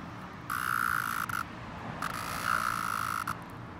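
A cicada gives two sustained, steady droning buzzes, each lasting about a second.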